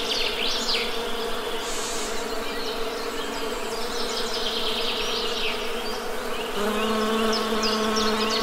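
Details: Honey bees droning in a steady low buzz; about two-thirds through, a second deeper, louder bee tone joins. Birds chirp in quick high notes overhead.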